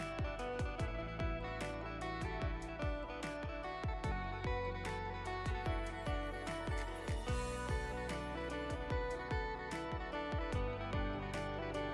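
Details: Plucked guitar-like music plays throughout with steady rhythmic notes and no animal sound.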